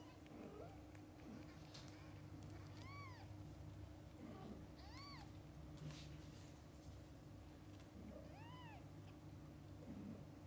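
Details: Kittens with their mother cat, from birth until their eyes open: three clean arched mews, each rising then falling, spaced about two to three seconds apart, plus soft low murmurs against a constant low background hum.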